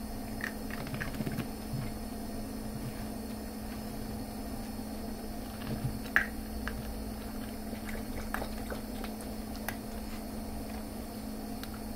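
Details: Steady low room hum with faint scattered clicks and soft chewing-like patter, no animal calls.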